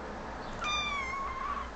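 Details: A cute kitten answering its owner with a single clear drawn-out meow lasting about a second, steady in pitch and easing slightly downward at the end, against a faint background hiss.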